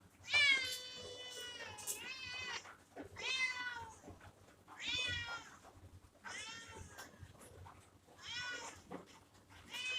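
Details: Kitten meowing indoors: four clear, high-pitched mews with stacked harmonics, each about half a second to two seconds long, the first drawn out and wavering, separated by short pauses over faint room hum.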